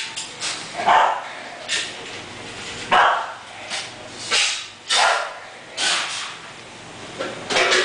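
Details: English Bulldog named Momo barking in short, sharp bursts, roughly one every second or two with uneven spacing, some barks doubled, over a faint steady background hum.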